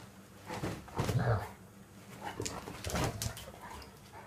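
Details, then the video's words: German Shepherds playing together: rough, low growl-like bursts near the first second, followed by scattered short huffs and scuffling noises, with quieter voice-like sounds in the background. "German shepherds playing"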